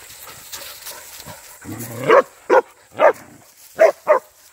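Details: Young hunting dog in wild boar hunting agility training, giving five sharp barks in under two seconds after a low growl-like rumble, with a steady high whine in the background.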